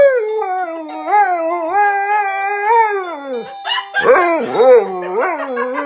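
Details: Husky and Lab reacting to doorbells at home: sustained wavering howls gliding up and down, then breaking into sharper yelping, rising-and-falling cries, with faint music underneath.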